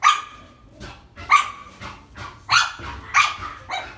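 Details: Dog, a sable-coated male mixed breed born 14 May 2017, kept at a pet shop in Japan; five or six short, sharp, high barks spaced roughly half a second apart, with a quiet background.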